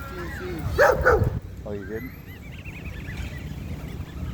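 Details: Cane Corso, a female, making corrections at a dog park: two loud harsh barks in quick succession, then a short rattling growl-like burst, with a high whine and people talking in the background.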